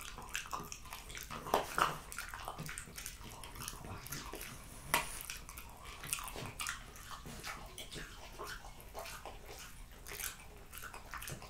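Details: French Bulldog named Jessica eating raw lamb cutlets, beef schnitzel and BBQ pulled pork, recorded close for ASMR; wet smacking, licking and crunchy clicks come irregularly, with a few louder chomps near the start and middle.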